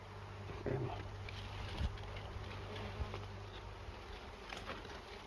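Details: Bees at a nest in a cashew orchard during a honey harvest, giving a steady low hum with faint overtones across the whole stretch, while soft knocks and rustling from the work sound now and then.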